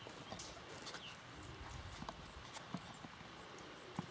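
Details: Missouri Fox Trotter male being ridden after his saddle was tightened; irregular muffled hoof thuds and clicks on the ground, with faint tack noise.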